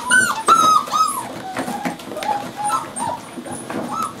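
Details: Playing Cardigan Welsh Corgi puppies in their seventh week give a drawn-out high whine at the start, then a string of softer, shorter whimpers and squeaks amid rustling and scuffling.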